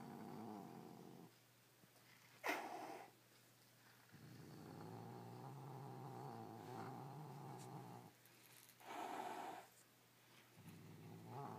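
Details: Domestic cat guarding his toy against one of his other toys: sustained low throaty growls of several seconds each, punctuated by a sudden explosive hiss and a rising snarl.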